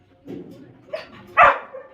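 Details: Labrador Retriever puppy named Jackie during crate training indoors; a soft low murmur, then a short yip and one sharp loud bark near the end.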